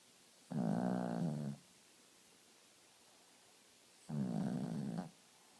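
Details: Dog in deep sleep snoring indoors: two deep, rattling, buzzy snores roughly three and a half seconds apart, each about a second long, silence between them.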